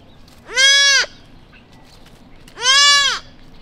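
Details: Newborn lost whitetail fawn in a quiet suburban neighborhood crying for its mother: two loud, high nasal bleats, each about half a second, arching slightly in pitch with rich overtones, separated by quiet.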